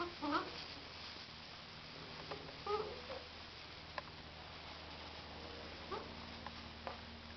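Labrador Retriever puppies give a few brief, high squeaky whimpers in a quiet room.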